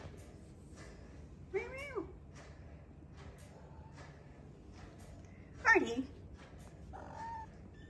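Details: Kittens indoors mewing in three separate bursts, the high, wavering cries rising and falling in pitch, with the loudest one near the end, while a person talks softly nearby.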